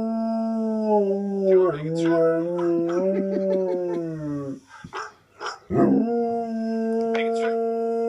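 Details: Alaskan Malamute male reacting to hearing its own recording played indoors; a loud, long tonal howl with rich harmonics, the pitch dipping and wavering, then a brief break with rough sounds before a steady drawn-out howl resumes.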